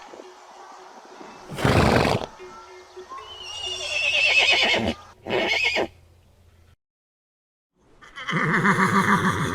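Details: Horse whinnying within a galloping herd: a sharp noisy burst, then a high quavering neigh, a short follow-up cry, a brief silence and another trembling whinny at the end.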